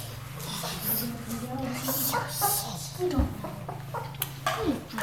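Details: Ten-day-old German Shepherd puppies, just starting to open their eyes, kept indoors in a small room, give short, high, wavering whimpers and squeaks, overlapping one another above a steady low hum.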